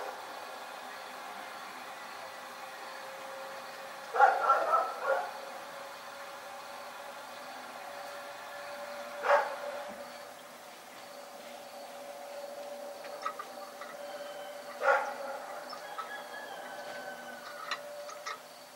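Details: Night barking from Rex the dog: a short cluster of harsh barks, then two single barks about five seconds apart, set against a constant thin insect whine and low background noise.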